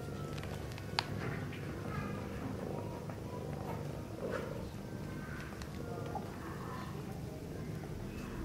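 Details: Continuous deep, throbbing purr from a Sphynx cat family, mother and kittens playing at the nest; the low vibration never stops, overlaid by light scratching, rustles and occasional faint squeaks and taps.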